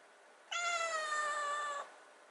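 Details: Kitten waiting by the fridge for wet food gives a single long meow, about 1.3 seconds, level then sagging slightly at the end, bright and harmonic-rich, in a quiet indoor room.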